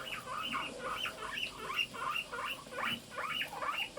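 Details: A morning 'pui pui' chorus from several household guinea pigs: bright, bouncy squeaks repeated about two or three times a second in a steady, lively rhythm.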